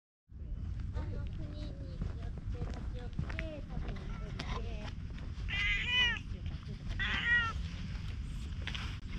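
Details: Gray hachiware (bicolour) stray cat on a bench beside a pond, filmed with a GoPro HERO8: two or three bright, wavering meows in close succession near the middle, over a steady low outdoor rumble, with human speech and soft clicks earlier.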